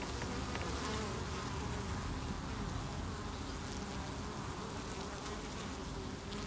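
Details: Honey bees massed at the hive on 8 August 2018 after beewolf wasp attacks, forming a chain under the landing board to remove an insect; a thick, unbroken hum of wingbeats, steady in loudness throughout.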